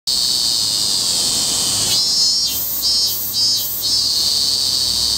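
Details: Robust cicada's shrill, high, steady buzzing drone. Midway it breaks into three rhythmic pulsing beats, then settles back into the continuous whine.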